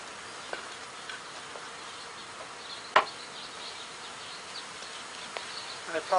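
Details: Honey bees in a three-pound package, clustered around a sugar-syrup can, give a steady, soft drone with a few sharp clicks and knocks while being installed into a hive on 8 April 2020.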